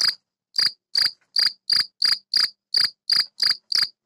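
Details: Gryllus campestris male singing inside a tortoise greenhouse to attract females, rubbing its wings together. Sharp, high chirps come almost three per second, each clear and ringing, around eleven in a row against silence.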